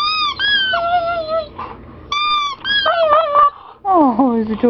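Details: Siberian Husky whining whenever his squeaky toy is squeezed; high, steady toy squeaks alternate with the dog's lower, sliding, plaintive whines that dip and wobble in pitch.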